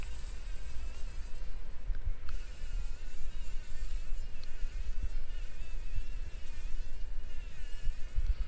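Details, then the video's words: Fly entangled in a spider web in a workshop corner, morning: loud, wavering buzz whose pitch swerves up and down in a struggling rhythm, with brief clicks and a constant low hum behind. "Überlebenskampf einer Fliege im Spinnennetz"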